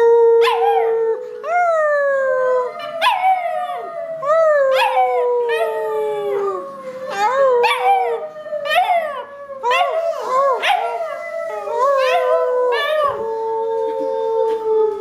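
A Cocker Spaniel puppy howls in high, wavering notes that slide downward, one after another.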